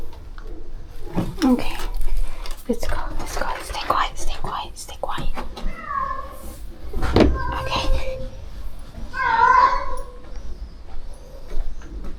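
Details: Among more than thirty rescue cats being fed at a shelter, a cat gives two short harmonic meows about three seconds apart in the second half, while people talk indoors throughout.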